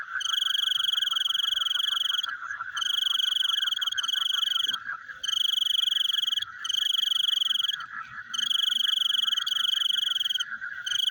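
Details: At night, frogs give rapid, rattling pulsed trills in repeated bouts of about one and a half to two seconds, separated by short gaps, over a continuous background chorus.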